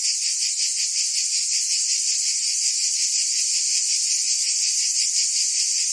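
Crickets chirp in a steady, high, shimmering trill that pulses rapidly without pause.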